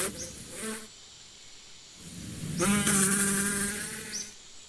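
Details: Bee buzzing heard in two passes, a brief hum at the start, then a longer, louder droning buzz with a wavering pitch before it fades out.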